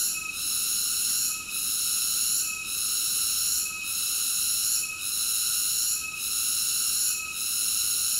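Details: Unbroken high-pitched cicada song, a bright metallic whine with several harmonic layers, easing off for a moment at regular intervals of just over a second, seven times across the stretch.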